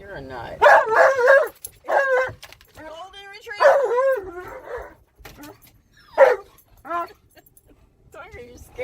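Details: Alaskan Malamute named Tonka, excited in a car while driving around a park, gives wavering, yodelling howls in bursts with short gaps, mixed with people's voices and laughter.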